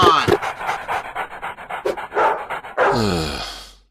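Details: A pet dog named Moose, whose slobber and drooling make a mess at home, pants in quick rhythmic breaths about five per second for nearly three seconds. A human voice follows and closes the recording.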